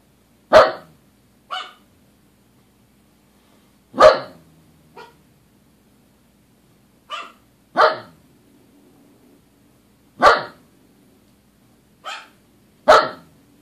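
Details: Two dogs barking at nothing indoors, a loud bark followed by a softer answering bark, repeated in about five such pairs every two to three seconds, low hum beneath.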